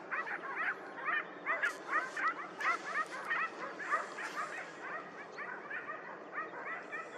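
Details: Hounds on a hare hunt at the opening of the 2023-24 hunting season, after a dry summer; a pack chorus of quick, overlapping yelping barks, roughly two a second, with steady background hiss.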